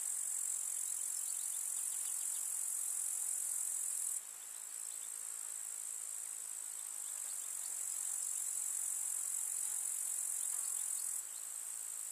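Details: Grasshoppers in a summer meadow in the countryside, a dense, continuous high-pitched hiss-like stridulation holding steady throughout, with small step changes in loudness and faint fleeting sounds beneath.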